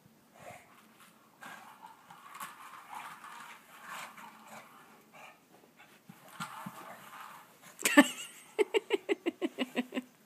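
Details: Bulldog snuffling and breathing noisily at close range for several seconds, then a rapid run of about eight short, harmonic grunting snorts near the end, each a fraction of a second apart.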